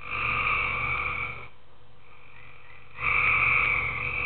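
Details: Tree frogs in a pool after dark: a long, buzzy croaking burst, a quieter lull of about a second and a half with a faint tone, then another loud rasping croak.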